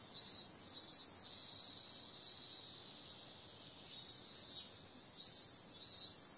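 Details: Night-time cicada chorus in summer, a steady shrill electric drone with short rhythmic surges at the start and again near the end, the middle holding an even, unbroken high whine.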